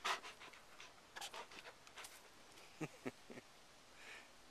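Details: White female Great Pyrenees dogs in the north woods of Minnesota near Horseshoe Lake, among ferns; one pants close by in quick, uneven breathy bursts with soft clicks and quiet hiss between breaths, and a loon is heard.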